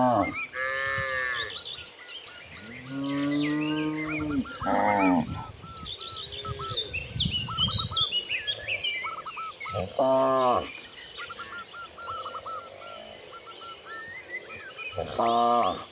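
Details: A herd of cows roaming freely across open countryside moos repeatedly. Several long, low, drawn-out calls arrive every few seconds and vary in pitch. Birds chirp and twitter steadily in the background.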